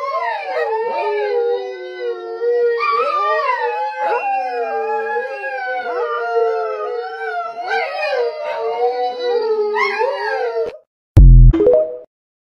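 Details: Several dogs howl in chorus like a wolf pack, long sliding tones bending up and down and weaving over one another almost without a break, then a sudden loud clattering thump near the end.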